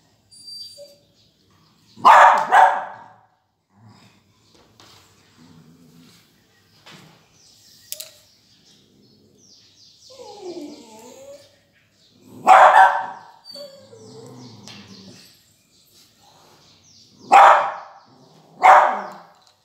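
A beagle puppy gives a few sharp, high barks separated by long quiet gaps.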